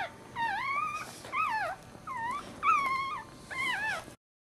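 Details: Maltese puppy just born feet first, crying in five separate drawn-out wails, each rising then sliding down in a wavering arc, spaced about a second apart, then silence.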